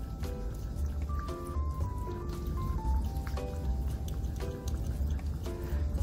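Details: Background music with a plucked melody over a low steady beat, with faint dripping and rustling sounds and no animal voice.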